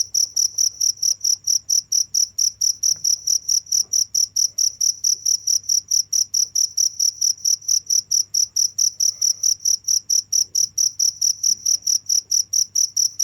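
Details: A cricket calls without stopping: rapid, even, high chirps at roughly four per second, very regular throughout, over a soft low background hum.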